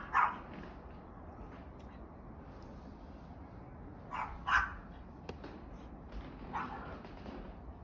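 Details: Two-year-old Chihuahua playing in snow, giving a sharp bark at the start, then two quick barks close together about four seconds in and a fainter one later, over a steady background hiss.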